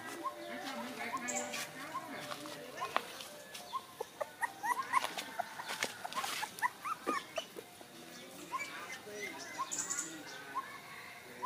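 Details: Five puppies, one of them white, around feeding time with milk: a steady stream of short, high squeaky whimpers and yips, many overlapping in quick bursts, with a background of faint human voices.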